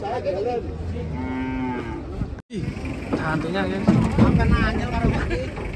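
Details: One sustained harmonic moo from cattle leaving a truck in Indonesia sounds between one and two seconds. A brief cut follows, then clattering, shuffling noise with fainter calls.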